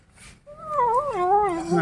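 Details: Kittens angry at being disturbed while eating a rat, growling: one drawn-out, wavering moan that rises then slides down over more than a second, with faint background noise.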